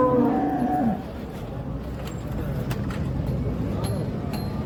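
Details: Holstein Friesian cow on a dairy farm near Ghodegaon, Shani Shingnapur, India, offered for sale; one short, wavering moo opens the stretch, followed by steady background noise and faint clicks.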